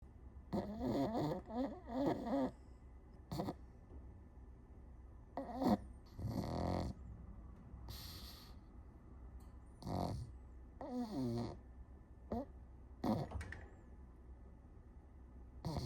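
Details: Pug snoring while asleep: irregular rattling, snorting breaths with a throaty buzz, some quick bursts and some drawn-out rasps, separated by quiet gaps of a second or more.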